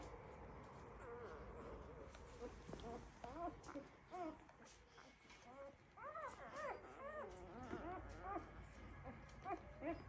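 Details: Labrador Retriever puppies of the Y2 litter, one week old, from a breeder's kennel: short arched squeaky whimpers, sparse at first, then coming in quick clusters during the second half, with soft rustling and shuffling behind.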